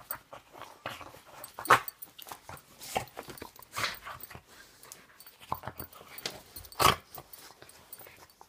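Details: Indoors, a Boston Terrier gives two abrupt, loud barks several seconds apart, with softer snuffles, huffs and faint whines between, reacting to hands hidden in clothing, which he dislikes; a person speaks briefly.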